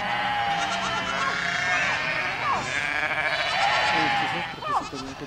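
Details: Goat flock passing through a village, a continuous wall of overlapping bleats with brief quavering calls standing out here and there.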